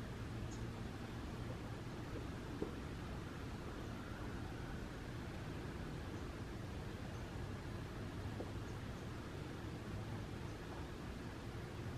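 Only a steady low hum and rumble of background noise is heard, with no animal calls.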